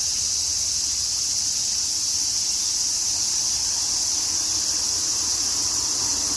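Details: A dense chorus of cicadas on a summer afternoon in Tokyo, with a typhoon approaching, makes a steady, high, hissing drone that never lets up.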